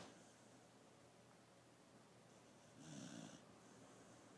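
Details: Koro the dog, asleep during a nap, lets out one rasping, snorting breath midway through an otherwise hushed indoor stretch of soft background hiss.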